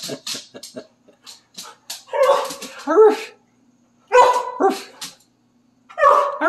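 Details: Excitable Siberian Husky at play indoors, quietly joining in singing with its owner: short broken yips, then wavering woo-woo phrases in two bursts, with a person talking softly between them.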